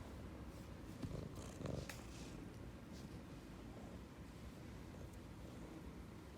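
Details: Ragdoll cat purring while affectionately rubbing against its owner indoors: a steady, low, rumbling drone throughout, with faint soft rustles and brief handling noises near the middle.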